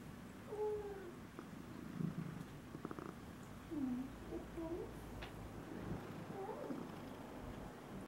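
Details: Domestic cat recorded May 26, 2016, purring steadily while several short, curving chirp-like tones and a few clicks break through the low rumble.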